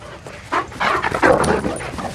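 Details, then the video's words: Four female Irish Wolfhounds playing together on a morning walk; short rough barks and huffs in quick bursts, a few louder broadband yelps building toward the end, with light rustling between calls. "Irish Wolfhound Morning Walk"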